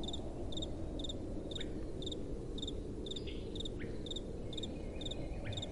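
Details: Nighttime crickets chirp in a regular rhythm, roughly every half second, while other faint sliding calls come and go above steady soft wind.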